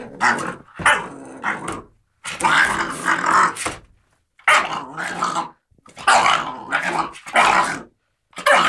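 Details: American Staffordshire Terrier play-fighting with a cat; bursts of rough, noisy growls and snarls about a second long, separated by brief silences, loud and close.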